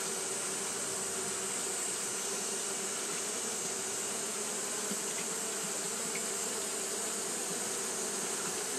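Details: On a hot day, Japanese honey bees keep fanning, producing a sustained, uniform drone with a humming low band and a shimmering high hiss, with a few faint clicks over nearly nine seconds.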